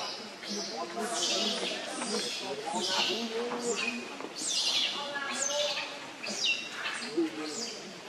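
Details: Hungry baby monkey Leo crying to beg its mother for milk: shrill, high squealing cries sliding downward, repeated in uneven bursts about once or twice a second, with low human voices talking underneath.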